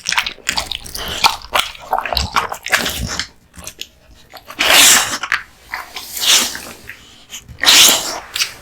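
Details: Kotetsu, a timid, affectionate male American Bully, eating raw meat and bones; scattered crunchy bites, then three loud hissing breathy bursts about every one and a half seconds, like snorts or sneezes.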